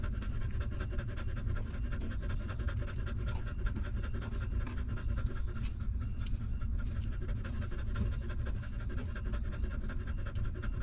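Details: Steady suckling by a hungry newborn puppy cared for by its stray mother, dense repeated soft sucking clicks at a quick even pace, backed by a constant low rumble.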